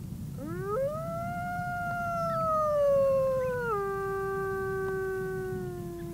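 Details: A gray wolf gives a single long howl that rises quickly, holds steady, then drops to a lower drawn-out tone; a British Library sound recording.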